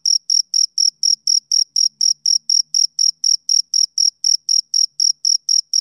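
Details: Male cricket chirping on a summer evening: a steady train of short, high, shrill pulses, about four each second, evenly spaced with no other sounds behind them.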